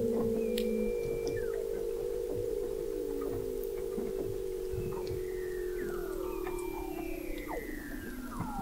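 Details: Weddell seals under thick sea ice in McMurdo Sound, Antarctica, recorded November 2017 by the McMurdo Oceanographic Observatory 21 m below the ice: long steady mid-pitched tones, a low buzzy trill, and several high whistles gliding downward, with scattered clicks.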